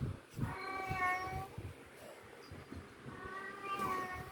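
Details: Cat giving two drawn-out, tonal meows, the first rising then falling, the second after a short pause. Soft thumps and low rustling sit underneath.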